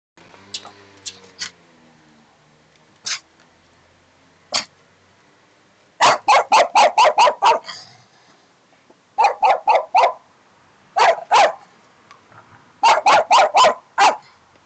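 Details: A dog in Hódmezővásárhely, Hungary, barks in sharp, rapid bursts of four to six barks with pauses between.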